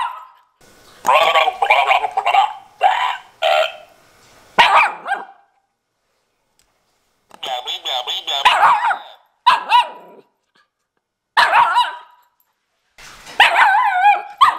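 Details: Miniature Schnauzer puppy talking back with bursts of high whiny barks, yodelling grumbles and yips, delivered in runs of one to three seconds separated by short silences.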